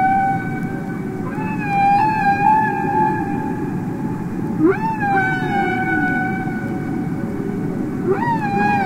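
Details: Humpback whale song from a Capitol Records album of real whales singing underwater: long steady tonal notes with harmonics, broken by sharp upward-sweeping squeals near two, five and eight seconds, over a constant low watery rumble.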